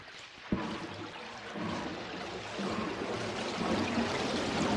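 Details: Humpback whale feeding on krill by encircling the school with a net of released air bubbles: a steady broadband hissing, churning rush like a steam engine, swelling louder toward the end, with a sharp knock early on.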